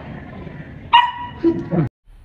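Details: Domestic dog being trained to bark on command, giving three short sharp barks in quick succession after a person's voice, in a quiet setting with speech before them.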